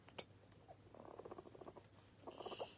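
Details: Toffee and Fudge, two pet male guinea pigs enjoying cuddle time and snacks, make a quiet, low, rapidly pulsing purr-like rumble that comes in two bursts, with a faint higher whine near the end.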